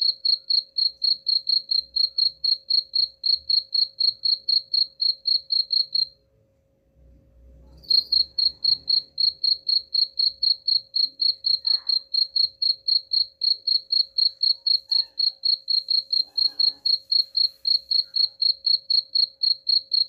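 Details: Chirping cricket used to scare off rats, sharp high pulses around four per second that cease for about two seconds after six seconds, then carry on evenly, with a brief low thump in the gap.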